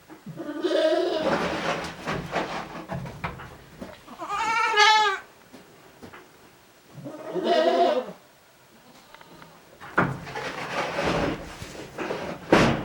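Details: Several goats relaxing and chewing cud inside a farm shed on January 29, 2023: a series of separate, quavering bleats spaced a few seconds apart, with rustling and shuffling noise between calls.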